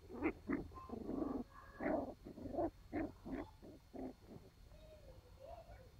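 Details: Sealyham Terrier puppies at playtime, a steady run of short throaty growls and squeaky yelps roughly every half second, ending in a few thin whines, low hum beneath.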